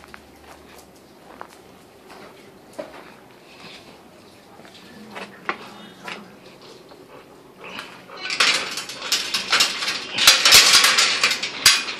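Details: Quiet indoor room with faint scattered knocks and clicks, then from about eight seconds a loud burst of clattering and metallic rattling like dishes and cutlery.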